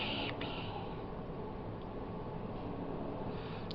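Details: Steady low rumbling indoor noise fills the recording, with a couple of brief higher hissing bursts near the start and no clear animal voice.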